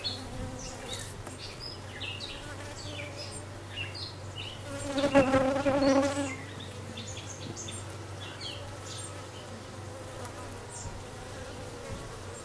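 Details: Western honey bees hum steadily around a newly arrived dark queen, with one louder, tonal buzz rising out of the drone midway through.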